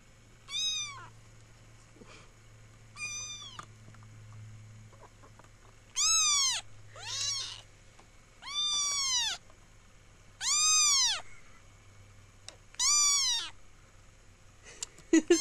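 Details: Seven high, bright kitten meows from Dante, spaced roughly every two seconds, each rising and dropping in pitch, over a low steady hum.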